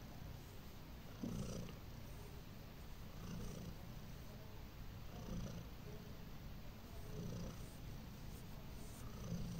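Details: Heliana, a domestic cat, purrs while drifting off to sleep: a continuous low, grainy rumble with gentle rhythmic surges about every two seconds as she breathes, quiet and close, nothing else audible.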